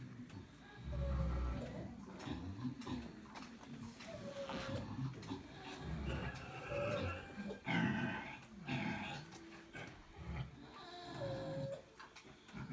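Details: Pigs snoring in deep, rough rumbles that come and go in uneven breaths, mixed with short grunting snorts and a few thin, whistle-like squeaks.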